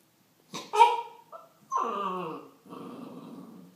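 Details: Corgi puppy vocalizing at a baseball bat: short yelping whine, then a drawn-out harmonic grumbling howl and a lower rough growl, in a quiet indoor setting.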